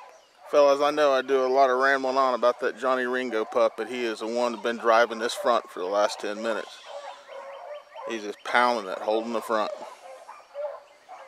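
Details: A pack of young hounds chasing a rabbit one morning, with Ringo, Mingo and Choco running up front. Loud, continuous, overlapping bawling from several dogs, rapid and uneven, easing briefly before another chorus of bays.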